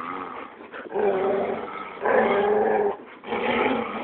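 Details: Several playful dogs, one of them a Labrador, growl during a game of tug of war: steady throaty rumbles in three sustained pulses of about a second each, separated by short pauses.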